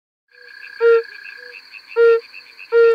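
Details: Yellow-bellied toads on Bohor in August 2020: three short, soft, mellow tonal notes, evenly pitched, about a second apart, over a steady high insect-like drone.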